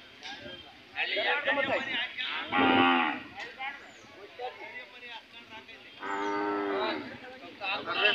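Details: Hallikar cattle at the Chelur cattle fair in India, giving two loud, drawn-out harmonic moos, one near the middle and one near the end, with men talking and bargaining around them.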